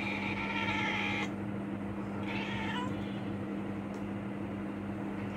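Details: Billu, a cat on a mission to catch a house gecko, gives a long steady meow lasting about a second, then a shorter meow that rises in pitch, over a constant low electrical hum indoors.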